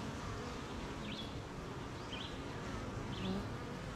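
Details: A colony of honey bees humming at their hive one rainy morning amid gardens and farmland; the low droning buzz stays constant throughout, while a few brief, wavering bird chirps sound faintly in the background.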